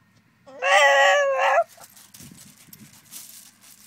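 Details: Stanley, a 16-month-old Staffordshire Bull Terrier, protests at not being allowed to sit on his owner's knee: one drawn-out, nasal, moaning whine lasting about a second, fairly steady and lifting at the end, then quiet rustling.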